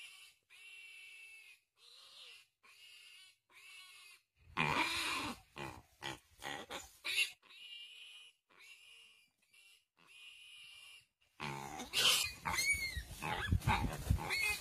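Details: Piglet caught by a Komodo dragon that preys on it as it passes. A run of short, high squeals at first, then loud, harsh, noisy screaming bursts mixed with scuffling sounds of the struggle.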